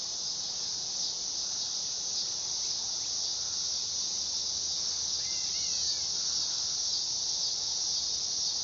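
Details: Dog-day cicada buzzing in an unbroken high, hissing drone, joined by a couple of faint, short chirps from a distant bird partway through.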